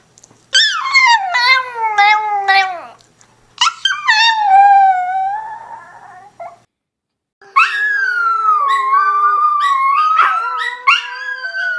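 A Chihuahua howls in high, wavering tones that slide downward, broken by brief pauses.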